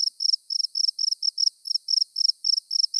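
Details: One of three cricket species with distinct songs, recorded in the field, sings in short, high, buzzy chirps, about four each second in a steady run.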